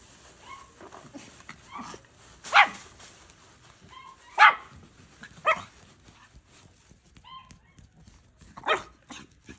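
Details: Domestic dog barking in short, sharp bursts, about four loud barks spaced irregularly over ten seconds, with softer yips and whines between them and faint background noise.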